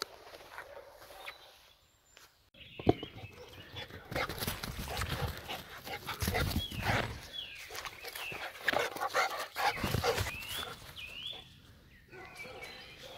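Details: Jagdterrier Gröschel von der Lönsmeute, a Heideterrier from a boar-hunting breeding line, barks in short harsh bursts that come thick and irregular after a quiet start, with outdoor rustling and a person's voice in the background.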